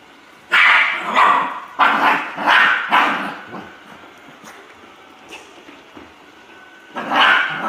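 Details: Poodle barking: a burst of sharp, bright barks near the start, then two more spaced barks and a final loud one after a quiet stretch, each bark harsh and mid-pitched.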